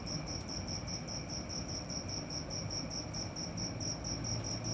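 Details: Cricket heard at night, repeating sharp high chirps at a brisk regular pace, with a faint sustained whine above a murmuring low-frequency background.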